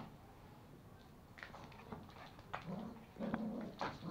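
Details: Two toy Pomeranian puppies, Pomo (male) and Pomy (female), play-fighting over a sock at home in Kathmandu, Nepal: low rumbling growls build in the second half, with short higher yips and whimpers breaking through, room noise underneath.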